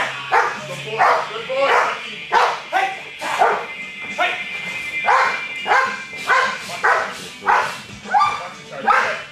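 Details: A 21-month-old American Bulldog during Schutzhund protection training on 10-7-11. It gives deep, forceful barks in steady bursts about every half second. A man gives commands and praise over the barking, and faint music plays.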